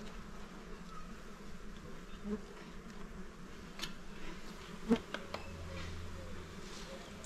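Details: A small hive's honey bees buzz as honey is removed: low, level droning, a loud knock just before the five-second mark, then a deeper rumbling hum joining toward the end.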